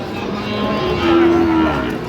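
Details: Cattle at a busy market in Cumilla, Bangladesh, where Sahiwal bull calves are sold on 2 January: one short, steady, low moo held for about half a second amid crowd chatter and bargaining voices.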